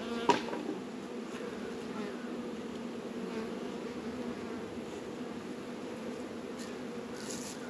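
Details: Honey bees working at a backyard apiary hive in northern Kentucky on a warm 72-degree February day; steady, low droning hum of many bees holds throughout, with a brief knock near the start and faint higher hiss above.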